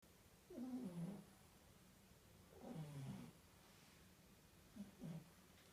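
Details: Baby French Bulldog puppies snoring in unison while asleep: three soft, low, rasping snores, each about half a second long, spaced roughly two seconds apart, over a quiet steady hum.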